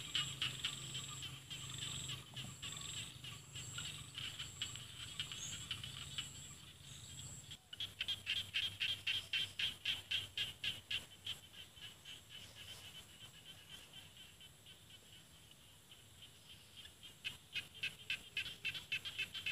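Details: Rice-field frogs in Isan paddies, northeastern Thailand; after a quieter start a dense run of rapid high clicking pulses, several per second, swells, eases and returns, with a steady high hiss throughout.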